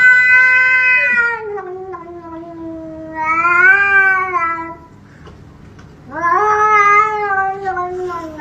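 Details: Pet cat meowing three times in long, wavering, whining calls about two to three seconds apart. Each rises and then falls slowly, and the last is loud and sustained. The room is quiet between calls.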